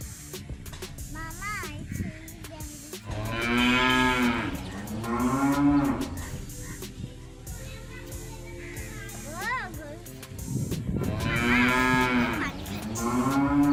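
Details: Village cows mooing: two long, loud bellowing moos several seconds apart, separated by shorter wavering calls and faint background noise.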